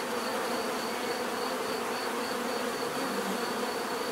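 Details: Continuous hum of many bees, a thick, even buzzing with no pauses, layered wing drones blending into one murmur, a faint high steady tone above.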